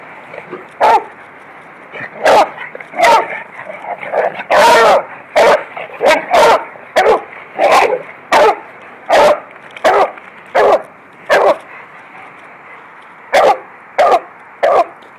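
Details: Beagle romping with a Lab in a yard, dogs running around: a dense, excited volley of around eighteen sharp barks, some crowding into each other midway, then easing to a few spaced barks at the close.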